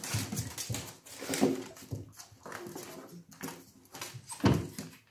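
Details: Two Miniature Dachshund puppy brothers playing chase indoors give short yips, whines and rough growling bursts.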